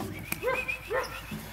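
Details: Three 8-week-old female puppies from one litter in a training tunnel with sounds; two short arched yelps, rising then falling, about half a second apart, with a faint whistle-like tone and background rustle.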